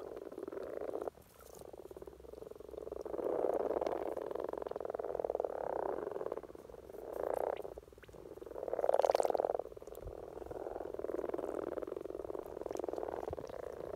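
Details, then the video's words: Common frogs in Norway give low, purring croaks in a steady rolling chorus at the peak of their spring courtship. "Common Frog Sounds - Rana Temporaria"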